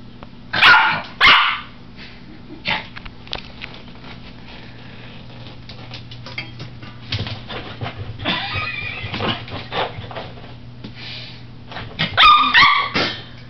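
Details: Josie, a papillon dog, frightened by a colander, gives two sharp, high barks in quick succession at the start and another pair near the end, with softer scattered clattering and shuffling noises in between.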